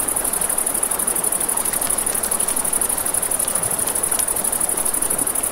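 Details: Crickets at night beside a river: a high, steady, finely pulsing shrill runs throughout, over a constant wash of flowing water and scattered sharp crackles and pops from a campfire.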